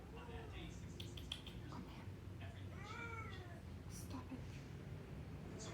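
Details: Burmese cat indoors, wanting to go and wake the baby up: a few short, soft meows, then a clearer drawn-out meow rising and falling near the middle, with small clicks and a low background rumble.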